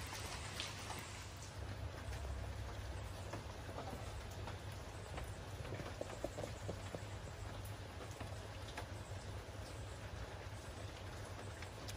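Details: Steady rain patters over a low background rumble, with no animal voice to be heard. Only scattered drips and clicks break the even wash of noise.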